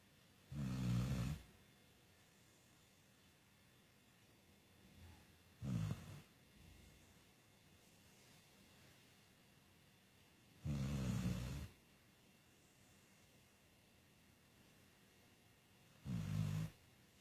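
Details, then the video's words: Putush, a pet dog, snoring much like a person: four deep, low rumbling snores, each about a second long, come roughly every five seconds, with quiet pauses between them. "Putush(dog) snoring like humans!!!"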